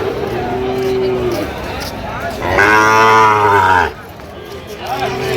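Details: Sahiwal bull calves at Ambari cattle market in Dinajpur, Bangladesh, on 1 September 2025; a loud drawn-out moo with rich harmonics, preceded and followed by lower lowing, amid market chatter.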